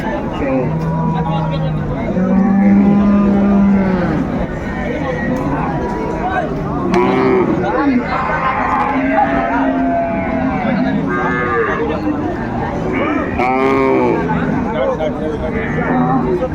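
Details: Cows with calves at the Ambari cattle market in Dinajpur on 24 May; two low, steady, drawn-out moos in the first four seconds, then a fainter bellow, all under constant loud bargaining voices and crowd chatter.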